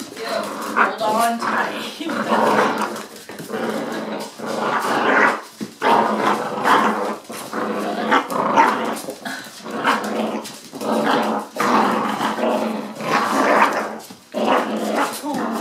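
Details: Two eight-week-old puppy brothers, Hoagie and Rubin, fostered by the Animal Rescue League of Boston, playing tug of war with a stuffed toy: rough rolling growls in bursts of one to two seconds, with a person speaking.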